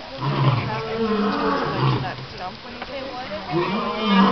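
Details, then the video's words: An adult alpha male lion at Calgary Zoo roars at the crowd in deep, rumbling roars with a rough, groaning tone, while people's voices are heard underneath. "Lion Roaring"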